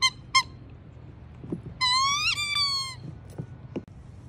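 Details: Squeaking from Jasper, an adoptable Siberian Husky at Pet Harbor Rescue with foster siblings around: two short sharp squeaks, then a long drawn-out whine that wavers and bends upward before fading, followed by soft knocks.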